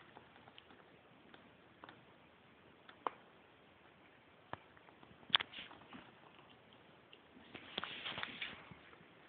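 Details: Pet cat named Monkey having a sneezing fit: a single sharp, explosive burst midway, then a longer breathy, hissing gust a few seconds later, with faint ticks and soft clicks in the quiet between.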